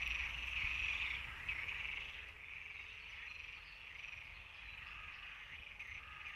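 European tree frogs calling in a dense chorus of fast, rasping, high-pitched notes.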